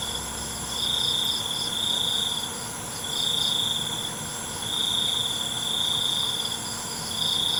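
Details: Nighttime cricket trills, high and buzzy, rising and falling in loudness in phrases lasting one to two seconds, with an unbroken chorus of other high insect tones behind.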